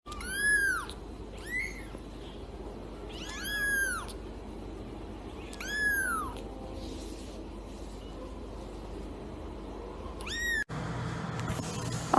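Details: Domestic cat giving a series of arched, rising-then-falling meows, four clear calls spaced about two to three seconds apart, the last cut short, over a low steady background hum.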